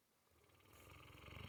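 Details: Guppy, a female Mastiff, asleep and snoring; a single rasping inhaled snore builds steadily in loudness over about a second and a half, low and fluttering.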